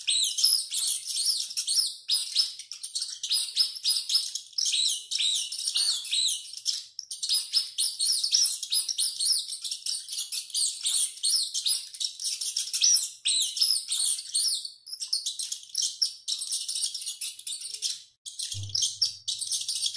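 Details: A rat running and screaming constantly, with shrill, high chirping squeaks in dense overlapping runs and a brief low thump near eighteen seconds.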